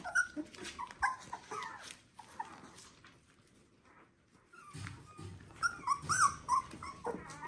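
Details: Border Collie puppies, three weeks old, from one litter, giving a busy run of high, thin squeaks and whines, some rising and falling, overlapping irregularly with a quiet pause in the middle before the squeaking resumes.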